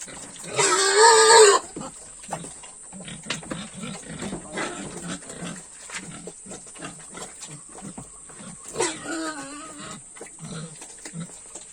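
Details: Pigs being fed on a farm: a loud, shrill squeal of about a second opens, then continuous low grunting, and a second, shorter high squeal breaks in near the end.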